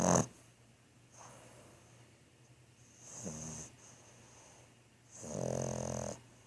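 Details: Thor, a sleeping French Bulldog, snores in two rough, rasping breaths with a steady low hum underneath and quiet pauses between.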